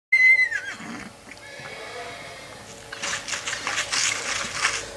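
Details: Six-month-old purebred Lusitano horse named Providência Aguilar at Coudelaria Aguilar stud: one high, clear whinny that starts steady and then slides downward, followed by low rustling and mid-range shuffling noise.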